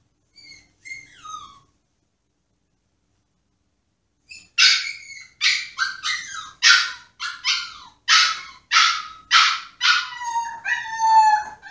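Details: Caged Pomsky named Yoshi pleading for freedom during a tantrum: brief faint whine, a pause of silence, then a run of sharp yelping whines about once a second, ending in a drawn-out falling whine.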